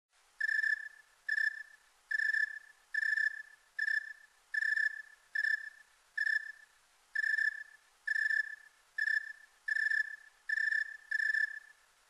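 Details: Snowy tree cricket recorded in high quality, a clean series of short, clear, whistle-like chirps, about a dozen in twelve seconds, each evenly spaced under a second apart over a silent background.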